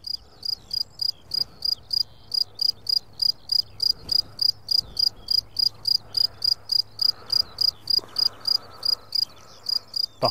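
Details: Field crickets recorded at very close range with a simple pair of microphones in the Drôme countryside. Loud, shrill chirps repeat steadily about three times a second, with a faint low hum and soft buzzing in the background.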